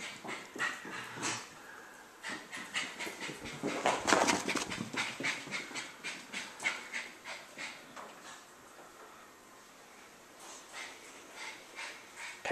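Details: Dog panting fast and steadily, breathy huffs at a quick regular pace with a louder burst partway through.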